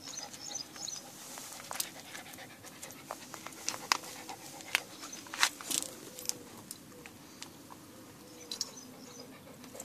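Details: Dog chasing a cat, breathing hard in quick, breathy puffs that come in irregular bursts, with sharp clicks and rustles in between.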